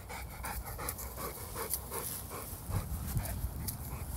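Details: Ava, a Rottweiler, muddy after chasing a squirrel the day after her bath, pants in quick rhythmic breaths, roughly two or three per second, steady throughout, over faint outdoor background noise.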